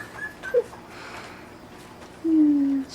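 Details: Puppies, 18 days old, wrestling and playing with one another indoors; a short squeak near the start, then a sustained level whine lasting about half a second, over a quiet room.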